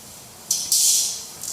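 A grasshopper's dry, hissing rasp, made by rubbing pegged hind legs against the hardened forewing.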